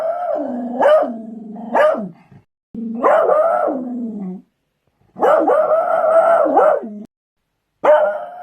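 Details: Beagle giving four drawn-out bays. Each starts with a sharp bark and then holds a long wavering note that sinks lower before it breaks off.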